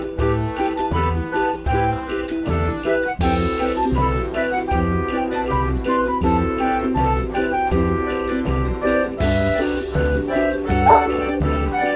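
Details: Cheerful music with jingling bells and a steady beat plays throughout, with no animal sounds.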